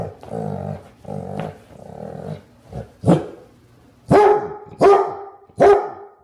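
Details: Clumber Spaniel growling in low rumbling bursts, then breaking into loud, sharp barks, four clear barks spaced under a second apart toward the end.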